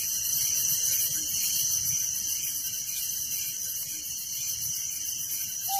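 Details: Village crickets trilling at night: a constant wall of fine, fast pulses high in pitch, evenly sustained, with only a brief low whistle at the very end.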